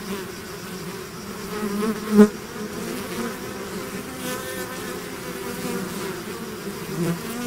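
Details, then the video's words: Bee swarm leaving its hive: a soft, steady background drone with a single bee zooming close and loud just after two seconds, then the even hum resumes with another nearer pass near the end. "bees therapy swarm natural buzzing sound"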